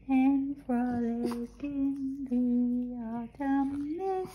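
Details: Skipper the Boston Terrier croons indoors after waking up, producing a chain of short, even, held notes at a low, steady pitch, each broken by tiny gaps, ending on a slightly higher rising tone.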